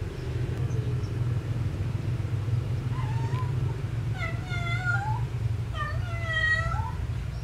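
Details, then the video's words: Domestic cat in love, calling out while looking for a partner. A short meow is followed by two long, wavering yowls that rise and fall in pitch, set against a constant low-pitched background rumble. "Suara Kucing Kasmaran Mencari Pasangan"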